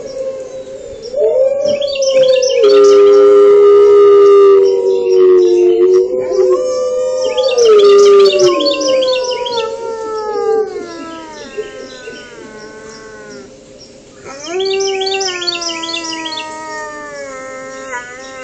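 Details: Wolf named Achilles howling in reaction to other howling wolves: several long, overlapping, wavering howls at different pitches, some sliding down and others rising, forming a layered chorus with brief pauses between bursts.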